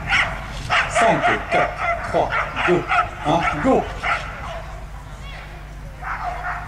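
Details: Belgian Shepherd at a national breeding show during agility work, giving a quick burst of sharp, rough barks over about three seconds, then fading into steady crowd murmur and background hall noise.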